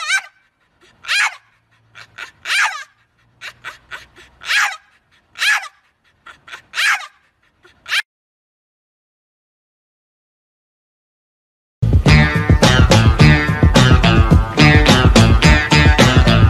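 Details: Dog giving about seven short, sharp, yelping vocal bursts over the first eight seconds, followed by silence, then loud music.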